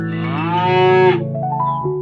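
A dairy cow gives one drawn-out, rich moo lasting about a second, its pitch lifting slightly before it breaks off. Soft background music with mallet-like tones plays underneath.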